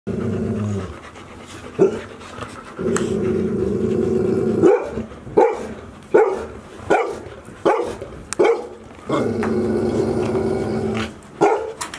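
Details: Golden Retriever puppies, 110 days old, at Ain village, four pups present, filmed 13 August 2018; long harsh rumbling growl-like stretches alternate with short sharp yelps and bursts, roughly one every second.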